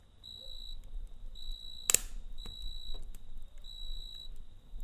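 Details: Nighttime cricket beside a campfire, giving steady high-pitched trilled pulses in short bursts with brief gaps, one loud snap from the fire near the middle and a low background hum.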